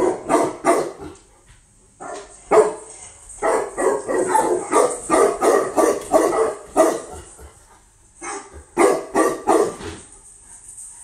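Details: Tibetan Mastiff, a newly imported female from Russia, barking in bursts of repeated deep barks, several quick runs separated by short pauses, with a steady high hiss in the background.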